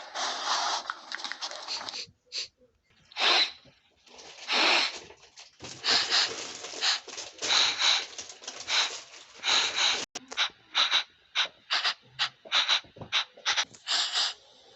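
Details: Puppy sniffing right at the camera: bursts of breathy, hissing snuffles in quick runs, some longer and some short, with brief silent gaps between them and no other clear sounds.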